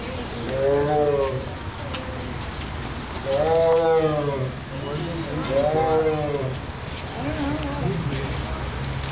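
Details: A zoo tiger gives drawn-out, moaning calls that rise and fall, repeated every two or three seconds; the reason for the noise is unknown.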